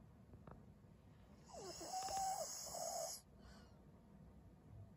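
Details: Snoring from Maria, an elderly 12-year-old fawn female pug in Japan, February 2023: one wheezy, rasping breath of about a second and a half carrying a thin whistled tone, then quiet low background.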